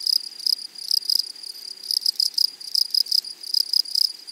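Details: Close, loud grasshopper stridulation in a flowery meadow: sharp, sizzling chirps in quick clusters, roughly four bursts each second, very high and crisp.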